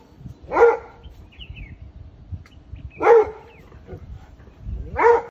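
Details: A vervet monkey in a wild fig tree in South Africa gives harsh, bark-like calls, one every two to three seconds.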